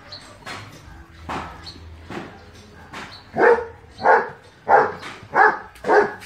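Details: German Shepherd dog barking: a few softer, distant-sounding barks at first, then five loud, harsh barks in a steady run, each about two-thirds of a second apart.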